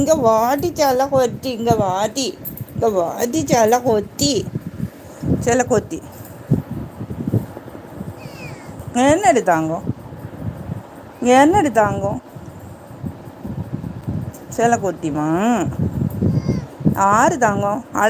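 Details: Pet kitten meowing repeatedly indoors, several arched, wavering meows with rising-falling pitch, often in quick pairs or runs, mixed with a person speaking between the calls.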